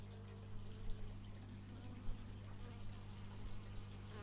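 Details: Short stretch of buzzing bees on an x/y stereo microphone, low constant drone with a few quick louder swells as insects pass near.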